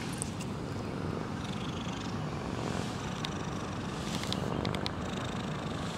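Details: A botanical-garden cat named Huangjin snores loudly while sleeping, recorded at close range; a low, rough, steady rumble fills the recording, with faint brief clicks and higher hiss in the background.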